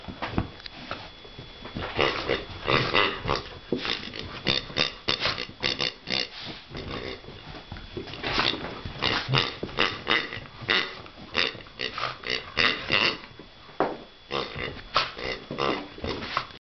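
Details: Pig grunting in rough, short bursts, often bunched into quick runs with brief pauses between, over a faint steady high tone and a muffled indoor background.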